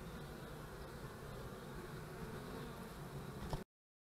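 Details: Bees at beekeeping hives on March 25, 2015: a dense, steady low hum of many wings fills the air without pause, and a faint click sounds near the end.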